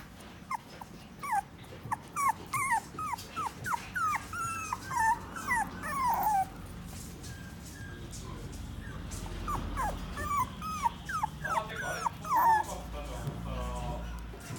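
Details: A Toy Poodle in a pet shop whimpers in quick runs of high, thin whines that bend up and down.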